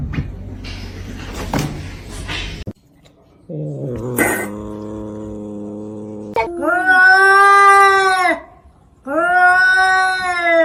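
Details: Domestic cat, possibly a kitten, utters two long, loud, strained yowls with strong harmonics, each lasting about two seconds with a brief pause between. They follow a stretch of voices and a steady humming tone.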